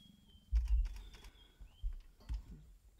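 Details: Chavaluthu, a blue-eyed male leopard at Balule, contact calling to a nearby leopardess on Valentine's Day: deep rasping grunts in a quick burst series, then two more separate rasps, while thin bird whistles carry on above.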